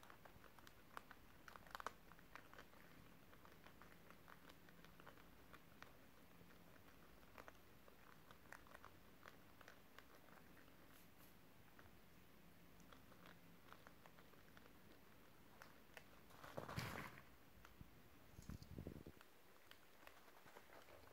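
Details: Guinea pigs munching crunchy beetroot pieces indoors on December 30, 2023, making rapid irregular crisp bites and crunches, broken by a louder rustling scrape and a thump near the end.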